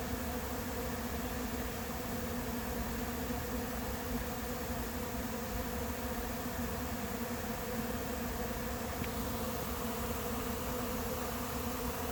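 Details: Late-season honey bee swarm settling into an empty, unprepared hive on July 8th: continuous deep buzzing drone, even in loudness, with stacked humming tones holding steady for twelve seconds.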